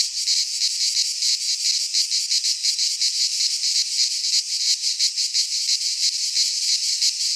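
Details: Singing cicadas in midsummer among pines in Greece: an intense, high, metallic buzz pulsing rapidly and evenly, sustained without a break, the chorus the only sound present.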